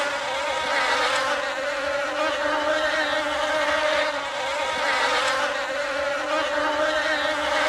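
A steady, droning bee buzz with a fixed hum and rich overtones.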